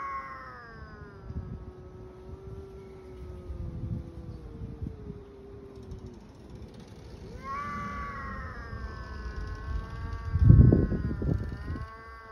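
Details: Street cats in a fight, described as hungry, let out long drawn-out wavering yowls. A falling cry lasts about six seconds, then a second rising yowl starts near the eighth second, over low traffic-like rumble and thumps.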